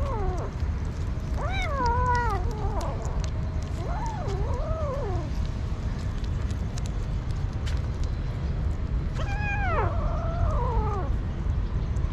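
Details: A hungry street kitten meows loudly for food: several wavering, rising-and-falling meows in quick runs, then a pause before another bout, over a constant low rumble of background noise.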